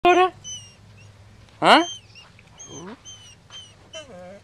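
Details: Kota, a pet dog left behind because the car was too hot, whining to go along: high stretched whines and yelps rising and falling in pitch, with a person briefly asking what is the matter.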